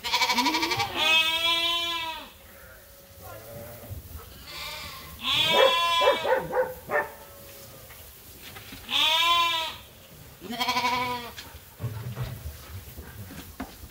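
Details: Farm sheep and lambs awaiting feed at chore time: several loud, quavering bleats come in bursts every few seconds, some overlapping, with shorter calls and shuffling noises in between.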